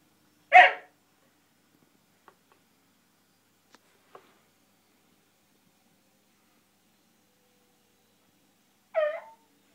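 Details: Koji, a Japanese Shiba Inu indoors, vents frustration at not reaching his ball behind a TV stand: a loud harsh yelp-like burst early on, faint clicks in between, then a wavering whine-like call near the end in a quiet room.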